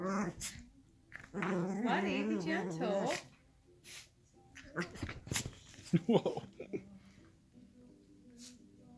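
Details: Miniature schnauzers rough-housing together on a couch indoors: a wavering, moaning growl lasting about two seconds, then scattered short grumbles and yips amid thumps and rustling, ending in quieter low growling.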